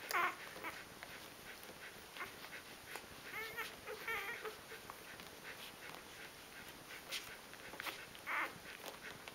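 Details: Three-day-old Rhodesian Ridgeback puppies of a litter give soft, high squeaks and brief whimpers near the start, around four seconds and again near the end, over a quiet indoor hiss with faint rustling.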